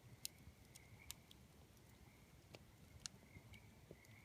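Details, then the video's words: Tree frogs at night near a campfire. A thin, high trill runs continuously, rising in brief surges. Loud snapping crackles from the burning wood punctuate it, over a dull low rumble. "Campfire and tree frogs singing at night"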